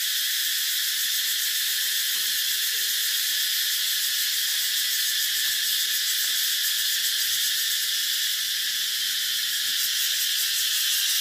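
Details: Cicadas produce a continuous, loud, high-pitched buzzing drone that holds steady throughout, with a faint shimmering pulse and no other clear sounds.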